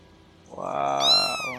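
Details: Kitten meowing: a short, high, slightly falling meow in the second half, over a lower voice-like harmonic sound.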